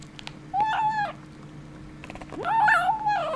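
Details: Kitten with a bone making weird sounds: two drawn-out, wavering, nasal cries with a mewing edge, the second longer and rising at the start, with faint clicks and soft indoor background hum.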